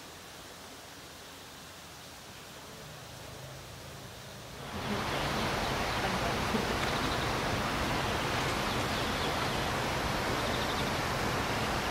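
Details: Soft outdoor rustling jumps at five seconds into loud, steady rushing like wind or falling water, with no animal call standing out.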